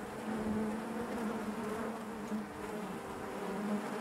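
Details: Steady colony hum of honey bees inside their hive, an unbroken low buzzing drone with even loudness throughout and faint brighter buzz tones over it.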